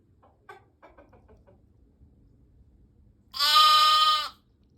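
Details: Baby lamb giving one loud, drawn-out, wavering bleat lasting about a second, rich in harmonics, after a person speaks softly and briefly to the lambs; quiet background otherwise.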